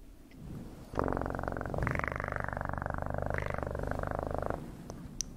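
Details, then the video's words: Cat purring steadily and loudly in a deep, rapid vibrating rumble for about three and a half seconds, starting abruptly after a quiet start and fading out near the end. "Best PURRING sounds"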